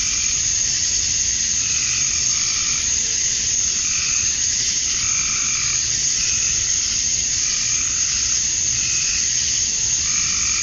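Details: Summer night chorus of male cicadas in Georgia, USA, calling at dusk to attract females: a constant high sizzling drone, overlaid by rhythmic pulsed lower calls, like frogs, repeating every second or two.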